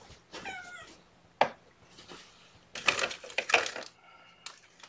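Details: Young guardian kittens being bottle-fed formula by syringe during a morning feeding, giving short high harmonic mews amid handling noises and rustling indoors.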